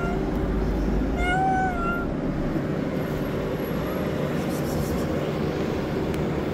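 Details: Street-dwelling tabby cat asking for food gives one clear, drawn-out meow near the start, then falls silent while a steady low hum of outdoor noise continues.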